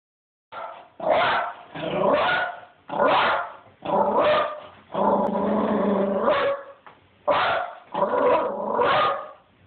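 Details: Pet dog barking at feral cats, recorded on an Android phone: seven loud, harsh barks in quick succession, some stretched into growly, drawn-out yowls, at roughly one per second with short gaps.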